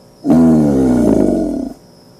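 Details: American alligator (Alligator mississippiensis), bellow.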